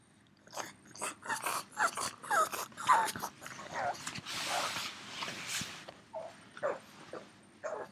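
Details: Yoda, a three-year-old pug left at home while his companion dog is out running, calling non-stop for his missing friend: a rapid series of short, breathy whimpers and yelps, uneven in rhythm, with snuffling between.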